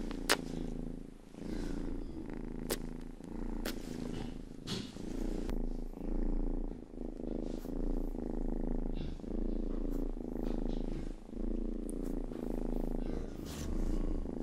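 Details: Rangi, the youngest pet cat, purrs steadily while licking and grooming a microphone's ears; a low rumbling drone swells with each breath, broken by sharp wet licking clicks.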